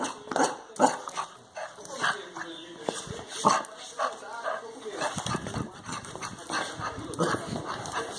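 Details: A Chow Chow puppy gives harsh, broken barks and growls while playfully "attacking" and nipping its owner, not truly aggressive, as people shout over it.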